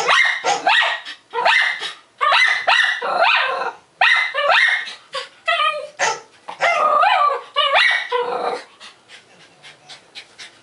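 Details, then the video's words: A Maltese dog barks excitedly at a barking dog appearing on TV or a computer: rapid loud high yapping barks in quick bursts, some drawn into whiny yelps, continuing for about nine seconds before fading. "Barking dog at barking dog"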